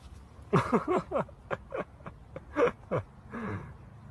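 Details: Corgi 'talking' in a quick run of short, grumbling yips and moans, each burst sliding downward in pitch, about eight bursts packed into four seconds, with a longer drawn-out groan at the end; quiet room background.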